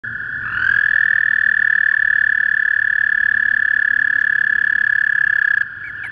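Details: Toads calling in spring at a small pond out back of a property; a long, steady, high musical trill starts after half a second and holds for about five seconds, and another trill carries on faintly near the end.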